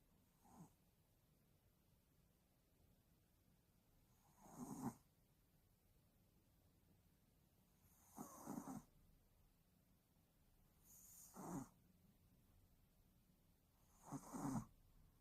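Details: A tired Yorkshire Terrier asleep and snoring: rough, breathy snores come in short bursts roughly every three seconds, with quiet breathing pauses between them in a still room.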